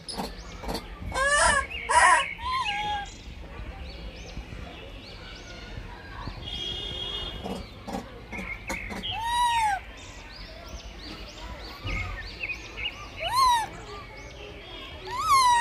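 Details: Baby monkey, blind, fighting for food: scattered bursts of shrill, downward-arching cries and squeals, loud at the start and end, with clattering and handling noises in between.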